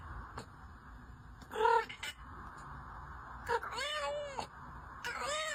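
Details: Domestic cats, which use chirps, trills and creaky door-like sounds to express mood, curiosity and demands: several short wavering meows and rising-falling cries, spaced irregularly over quiet background hum.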